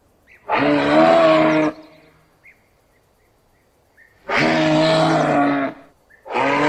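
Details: Rutting moose giving its berreo bellow: two sustained, rough, harmonic calls over a second long each, a long quiet pause between them, and a third call starting at the end.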